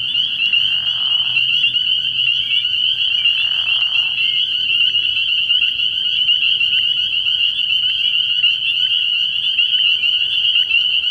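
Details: Early-year frog pond at night filled with spring peepers, countless high shrill peeps merging into a constant bright ring; two short hissing bursts appear near the start and around three seconds.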